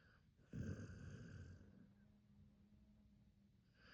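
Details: Akita named Hachi asleep, one loud rumbling snore starting abruptly and trailing off into a faint whistling breath and quiet.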